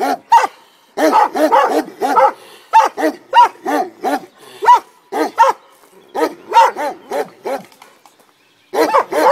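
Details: Komondors guarding a boathouse beside the cave bath at Miskolctapolca bark in deep, harmonic bursts, often in quick pairs or runs, with brief pauses between.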